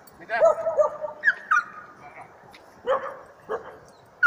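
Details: A Norrbottenspets bay-barks at a mechanical bear, giving sharp, ringing barks and yelps in quick bursts.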